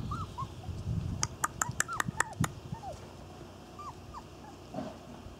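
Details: Thin, high whines from Irish Terrier puppies of the N litter during their first outing, short arched squeaks scattered across the recording, with a quick series of sharp clicks midway and soft rustling underneath.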